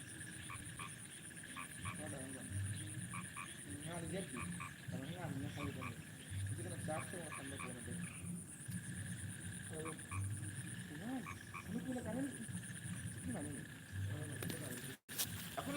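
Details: Frogs calling at night: low croaking pulses below 200 with short repeated pitched notes rising and falling, a steady high insect whine above, and a click near the end.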